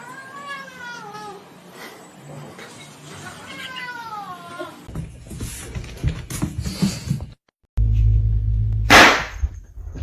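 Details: Kitten meowing and crying: a few drawn-out, wavering mews in the first half, then a burst of broadband clatter, music and laughter, with a short silent gap and a loud noise near the end.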